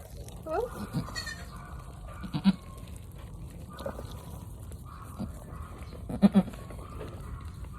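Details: Mother goat having a difficult birth, just delivered a large kid; short, faint bleats near the start and again near the end, over a low background rumble with a person talking softly.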